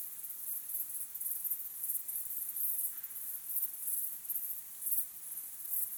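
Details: Crickets at dusk, recorded naturally, sound off in sharp high chirp bursts spaced about half a second apart, a steady pulsing rhythm against near silence.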